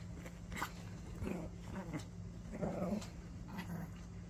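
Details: A 10-year-old Maltese gives short, low, rumbling growls in bursts while playing tug.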